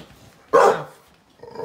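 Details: Rescued female Staffordshire Bull Terrier x Rhodesian Ridgeback from a shelter, guarding her wheelchair-bound owner against a suspicious stranger outside the door; one loud, gruff bark after near silence, then faint sounds and the owner's calming voice.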